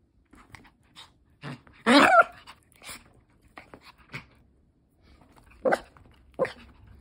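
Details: Pomeranian Chihuahua mix dog in Osaka, Japan, letting off stress during play: one loud, harsh, harmonic yelp-like burst near two seconds among soft crunching and chewing clicks, with a few shorter sharp sounds later.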